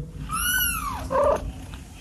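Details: Kittens playing with a rope; a single drawn-out meow with a rising then falling arc, followed by a shorter, lower nasal cry, over a low rumbling background.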